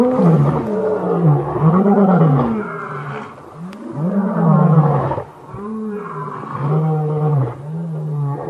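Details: Male lion of the BB coalition roaring a challenge at the Matimba males in the core of their territory, 5 August 2015, start of a pride takeover; a deep series of arched grunting roars, about one per second, each swelling then fading.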